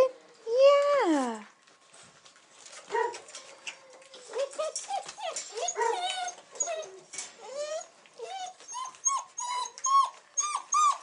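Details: Weimaraner puppies at day 42 of age, recorded 8 December 2008: a loud, falling whine opens, then many short high yips and whimpers from several pups overlap, growing denser and more rapid toward the end, indoors.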